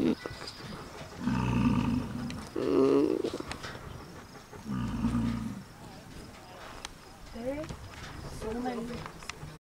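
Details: Large male American bison grunting to show dominance while sticking its tongue out; two deep, rough, low grunts about two seconds apart, with a person's voice and light outdoor background.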